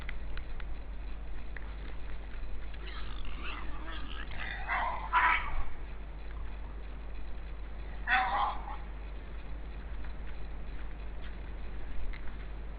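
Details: Two wild boar (Sus scrofa) from a family at a forest feeding place in Estonia exchange harsh, squealing grunts in two short bursts over a steady low hum, 16 December 2012 at 16:03.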